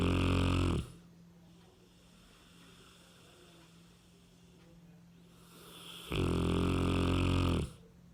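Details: Cane Corso named Ram, a 60 kg dog, sleeping sweetly indoors and snoring: two loud, deep, rasping snores about five seconds apart, separated by a quiet stretch with a steady low hum.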